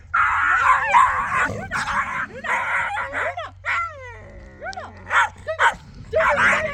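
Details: Very wild puppy, brought a few days earlier to look after a nomadic family's goats, barking a lot: a quick burst of sharp barks at the start, then people talking over quieter yaps.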